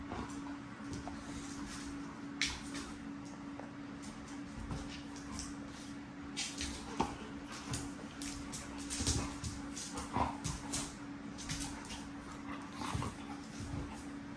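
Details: Excited dogs on 19 June 2024, stirred up at the sight of a whelping box, let out scattered high whimpers and short yips that grow busier toward the end, over a steady low indoor hum with some knocking.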